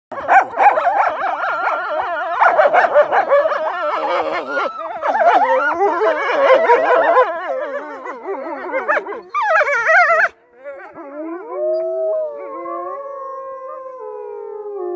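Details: Wolves at a zoo park, howling in chorus: many overlapping wavering howls and yips for nine seconds, then after a brief pause long, smooth, sliding howls from a few animals carry on to the end.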